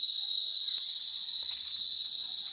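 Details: A cicada in countryside trees in the Dominican Republic gives a continuous, shrill, high-pitched buzz that holds steady without a break; cicadas are heard everywhere there.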